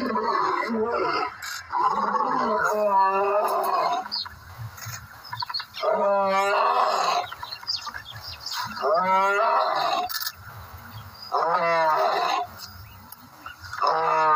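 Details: A lion (Panthera leo) roars, giving repeated rough, throaty roaring grunts in bouts every few seconds.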